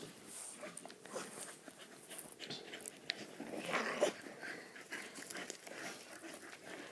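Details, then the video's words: Dogs playing with a ball, one called Blondyna; irregular breathy panting and snuffling bursts with soft scuffling, a rapid uneven rhythm throughout, and a louder rough burst near the middle. "dogs playing"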